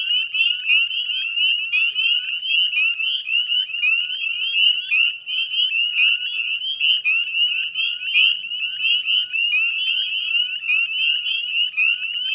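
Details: Northern spring peepers in a dense dusk chorus at the Chezzetcook salt marsh, West Chezzetcook, Nova Scotia, Canada, 18 May 2020: countless overlapping high, rising peeps merge into a continuous shrill ringing wall of sound.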